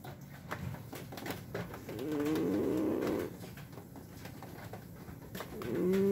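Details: Sleeping Scottish Fold cat snoring indoors; a drawn-out, wheezy, tonal snore with a layered humming pitch lasting about a second, then another starting near the end, over soft clicks and room noise.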